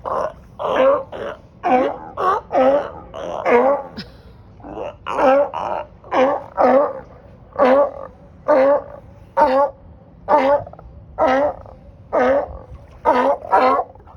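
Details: On a dock in Marina Del Rey, California, sea lions and seals give loud, hoarse, Yeti-like barks in a steady run, roughly one each second, loud enough to wake a person.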